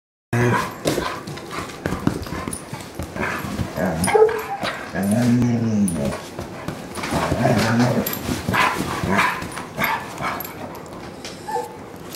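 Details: German Shorthaired Pointer from a dog rescue play-wrestling on a couch with a Bloodhound, short rough growls and huffs amid constant rustling and thumping of bodies on cushions.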